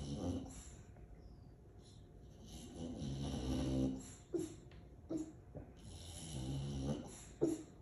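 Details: A sleeping female English Bulldog snores heavily and lets out soft, muffled woofs every second or so; owner says her tummy was barking too. Aliso Viejo, California, December 18, 2022.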